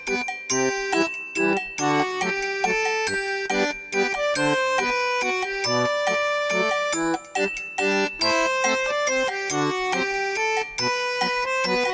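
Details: Bright instrumental music with chiming, bell-like tones and a steady bouncy rhythm fills the whole stretch, with no animal sound heard.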